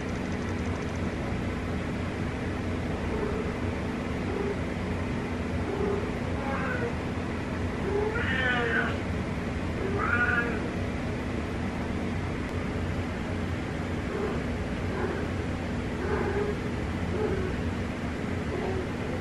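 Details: A domestic cat meowing in darkness: a few short, faint meows, two clearer rising-falling ones near the middle, with softer calls after them, over a steady low hum and background noise.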